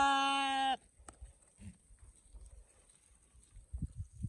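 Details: A sheep's short, level bleat, strong and buzzy, cut off after under a second, then quiet low knocks and soft shuffling to the end.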